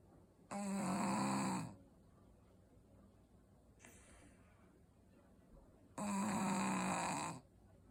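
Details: Shih Tzu dog snoring: two loud, buzzy, vibrating snores of over a second each, separated by a soft hissing breath, in a quiet room.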